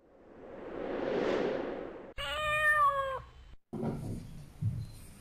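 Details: Kitten meowing loudly in protest at being picked up, its mother cat coming to ask for it back; one drawn-out harmonic meow lasting about a second, tailing off at the end, preceded by a swelling whoosh effect and followed by rustling.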